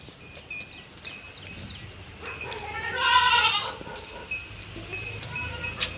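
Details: A Beetal goat on a goat farm gives one loud, harmonic, wavering bleat lasting under a second, set against faint high chirps, low background rumble and nearby human voices.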